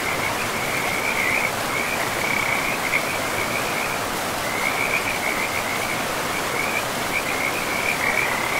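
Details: In a moss-covered forest by a river, frogs keep up a rapid, high, rattling trill with a short gap midway, over a steady roar of running water.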